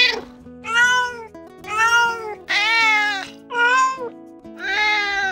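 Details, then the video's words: A domestic cat meows five times in a row, each call clear and arching, over soft background music; the cat meows to talk, communicating with other cats and with people. Finding: cat. "Pour parler, le chat miaule."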